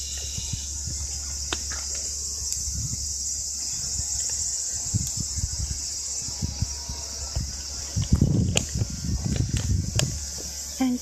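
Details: A steady, high, shrill robust cicada (minmin-zemi) drone holds throughout in a Japanese neighbourhood, with low thumps and rumbling noise underneath.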